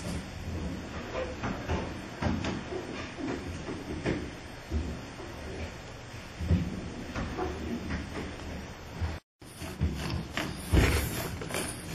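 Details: Steady rumbling broadband noise, like a train or vehicle, with faint speech, scattered knocks and a brief dropout near the end.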